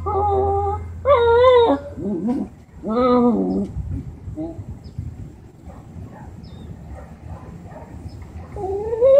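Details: An angry Lhasa Apso gives drawn-out, wavering whining yowls instead of sharp barks, increasingly emotional barking at a black Labrador that lives in its building, with a person speaking nearby.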